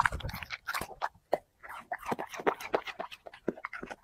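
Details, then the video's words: Eating dog working through chicken and vegetables: steady rapid mastication, crisp crunches and smacks packed closely together across four seconds, with a short pause around one and a half seconds. "dog eating 5 plate unlimeted chicken 🍗 vegetables mukbang"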